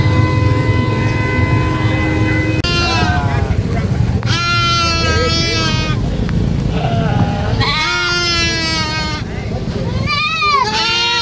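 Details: Baby goat screaming on a farm: loud, wavering, strongly harmonic bleats, some rising then dropping, given in several bursts over a steady low rumble, with a flat sustained tone heard before the first cry.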